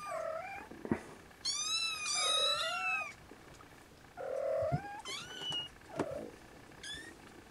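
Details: Siamese kittens of Snowshoe type, nursing. One long, wavering, shrill mew is set among short chirping mews and low squeaky bleats, with a few soft knocks.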